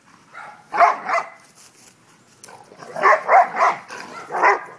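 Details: Playful pet dog having fun, letting out quick bursts of rough barks: a pair of barks, a short pause, then a fast run of four barks close together.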